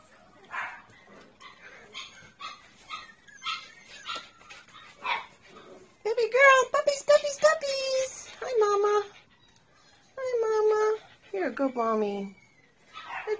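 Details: Three rescued Shih Tzu puppies with their mother Sophie, indoors and awaiting adoption, give high, drawn-out harmonic whines, some steady and some falling, in bursts amid a woman's cooing baby-talk.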